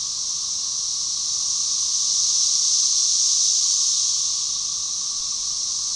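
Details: Synchronized chorus of Magicicada tredecassini, 13-year periodical cicadas of Brood XIX, at Tyler Bend Park on the Buffalo River, north-central Arkansas, May 30, 2011: dense high hissing drone swelling to a peak midway, then easing, with a steady lower band beneath.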